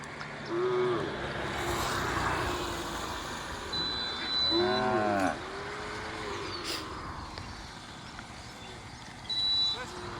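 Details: Desi cows from a herd of about 200 at Limbala Tanda, Yeldari: several brief arching lowing calls, one loud, rich moo mid-way and another at the end, over engine rumble, voices and faint high whistling tones.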